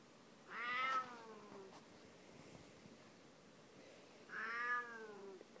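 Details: Bengal cat harassing another cat and being checked by a third, with two drawn-out, harmonic meows, each about half a second long and falling in pitch, separated by a quiet pause of about three seconds.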